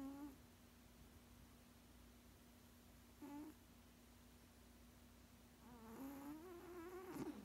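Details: Sixteen-year-old male cat asleep indoors, giving tonal, hum-like snores. A brief one opens the clip, another comes near three seconds, then a longer wavering run near the end, over a steady low background hum.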